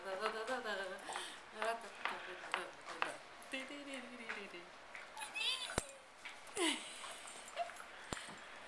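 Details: Liam, a Welsh Terrier, indoors in a small room, giving a run of high, wavering whines and yelps that rise and fall in pitch, interrupted by sharp clicks and a person's voice.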